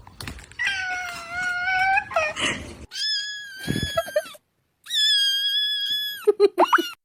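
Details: Female pet cat indoors reacting on seeing soap: long, drawn-out, steady-pitched meows with a loud scream-like quality, separated by short gaps and ending in a few quick broken yowls.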